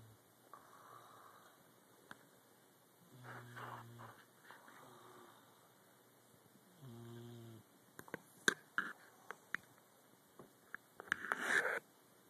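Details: Leonidas, a sleeping Boxer puppy, snores indoors with two short vibrating breaths a few seconds apart, followed by sharp clicks, shuffling and rustling.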